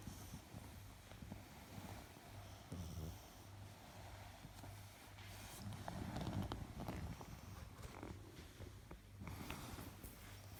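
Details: A sleeping female Pekingese snores with low, rumbling, raspy breaths that repeat steadily under soft talking.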